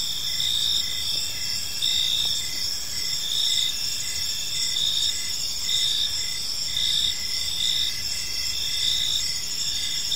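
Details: Evening park chorus of crickets, continuous shrill trilling layered with short repeated chirps at an even pace, many callers blending together over a soft low hum.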